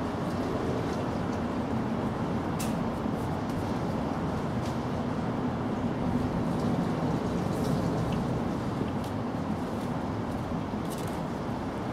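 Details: Constant rumbling traffic-like noise with occasional brief clicks and no animal voice.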